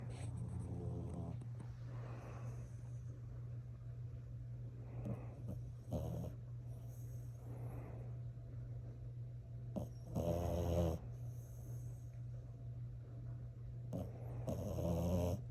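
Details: Female French Bulldog sleeping with her eyes open and snoring: low, raspy snorts and rumbling breaths at irregular intervals over a steady low hum.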